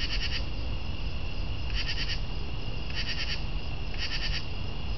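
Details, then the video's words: Raspy pulsed chirps of a northern true katydid, four short bursts spaced a little over a second apart, each made of several rapid scratchy clicks, against constant low-pitched background noise. "Northern True Katydid audio"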